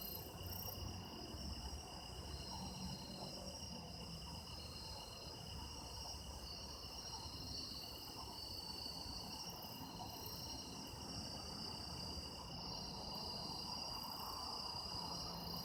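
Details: Autumn insect chorus gathered for sound effects: dense overlapping high trills, one pulsing rapidly at about three beats per second, with a soft low-pitched rumble beneath.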